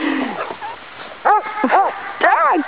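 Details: Blind Labrador Retriever named Wonder playing wildly in the snow in winter; a quick series of three loud, rising-then-falling barks after a soft whine, with light background noise.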